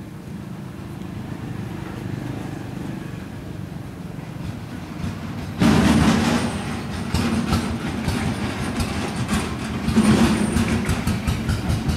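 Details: A train rumbles past with low clattering wheel noise and rising mechanical roar, with no animal voice heard.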